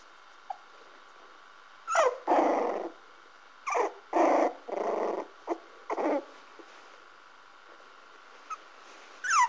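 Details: Parson Russell Terrier puppies from the Stormy Wights kennel giving drawn-out whining cries and low rough growl-like grumbles in several bursts, separated by short pauses, over a faint constant hum.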